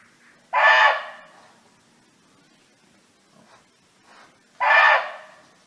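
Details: Barking deer roaming free, calling to friends: two loud, rough barks about four seconds apart, with a couple of faint soft knocks or rustles in the quiet gap between them.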